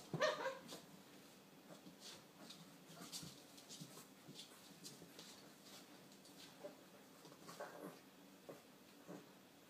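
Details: Leonberger puppies playing indoors; a brief high, tonal whimper with stacked harmonics opens the recording, followed by scattered clicks, scuffling and soft knocking noises at a low level.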